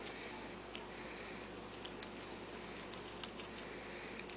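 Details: A hushed indoor room with a low hum and light clicking like keyboard typing, with no animal voice.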